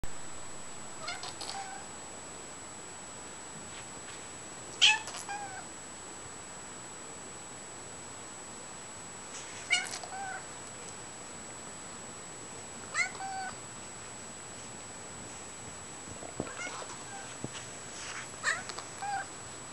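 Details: Natalie, a harlequin cat, snuggling indoors, gives soft, short harmonic meows at irregular gaps of about three to five seconds, some in quick pairs, over a faint steady background hiss.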